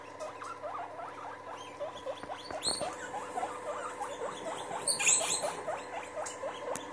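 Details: Several guinea pigs meeting and getting together, giving a steady stream of short squeaky chirps and whistles, with occasional louder rustling and higher squeals.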